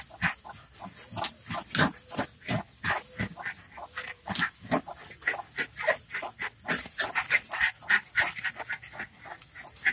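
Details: Three Jack Russell Terriers confronting a snake, barking in short, sharp, rapid bursts of about three per second, with some higher yelping notes and background voices.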